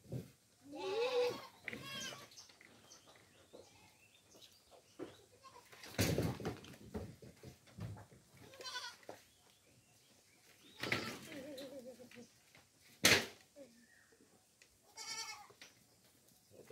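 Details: Several domestic goats at feeding time on coconut pulp (tubuan) bleat in short, trembling bursts, five or six spread across the stretch, with sharp knocks and clatter from feeding in between.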